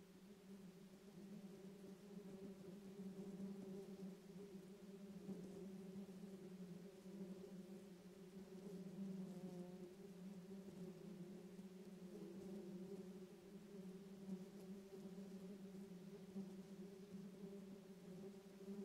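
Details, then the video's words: Massive swarm of tens of thousands of bees clustered around a queen in a tree top, roughly the size of a beach ball; a steady low droning buzz holds throughout with slight swells in loudness, no other clear sounds. "Massive Bee Swarm Appears in Tree Top"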